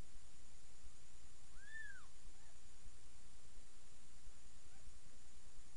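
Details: Cat family indoors: Miss Kitty nursing her seven kittens, almost three days old, in a new box. One short, arched, mewing cry rises and falls, followed by a fainter echo of it, over a steady low background hiss.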